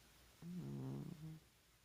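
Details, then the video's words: Domestic cat snoring in deep sleep: a single low, buzzy snore lasting about one second, layered with faint overtones, in a quiet room. "Snoring Cat"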